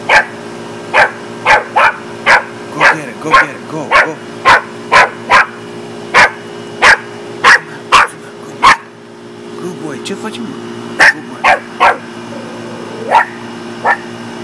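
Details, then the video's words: West Highland White Terrier barking after seeing a deer: a long run of short, sharp, evenly spaced barks, pausing briefly midway, over a constant low hum, with faint human voices. "west highland white terrier) and the deer"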